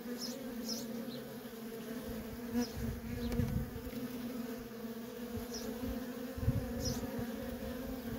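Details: Worker honey bees in nonstop traffic at a feral colony, a steady droning hum with a strong low tone and a brighter overtone above it, low rumbling bumps throughout and scattered faint high chirps.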